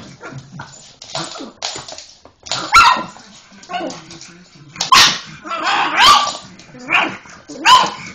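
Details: Molly the pug going mental at the Hoover, barking in uneven bursts with some whiny, rising yelps mixed in; a voice and background rumble are faintly present between barks.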